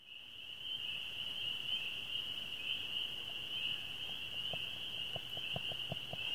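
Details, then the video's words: A dense chorus of spring peepers in a swamp on a moonlit May evening around nine o'clock: high piping peeps blending into one steady, ringing trill. "What do Spring Peepers Sound Like? (Swamp Frogs) Signs of Spring!"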